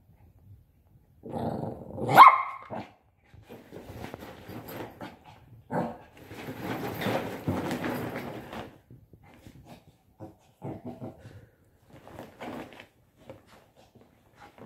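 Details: A 5-month-old Shih Tzu puppy, playing with a pop-up tent, gives a sharp bark, then a run of soft grumbling growls and yips.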